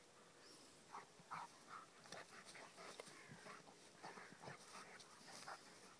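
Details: Rhodesian Ridgeback Kheelo, with his friend Triton: a quick run of short, high whimpers and yips. The bursts are uneven, several to the second, over a steady background hiss.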